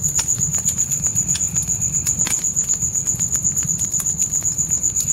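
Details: High, even cricket pulsing at night, roughly four pulses each second, sits above steady fire crackle, occasional louder pops and a muffled low rumble from the flames in a forest setting.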